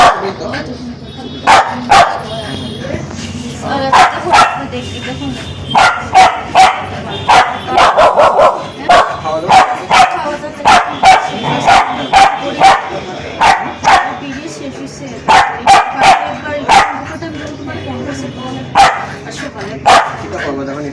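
A spitz barks sharply and repeatedly in quick, uneven bursts, with some voices behind.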